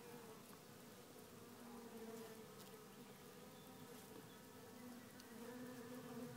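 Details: Honey bees in a small French nucleus hive, a drone-laying colony whose swarm was found to be without its queen; a steady, droning hum with low tonal bands, swelling slightly at moments, with faint scattered ticks above.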